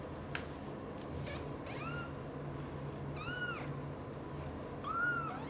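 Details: Mother cat Xaxa, a British Shorthair, caring for three kittens named Piano, Miracle and Cream. Three brief, high-pitched mews rise and fall about every one and a half seconds against a constant low hum.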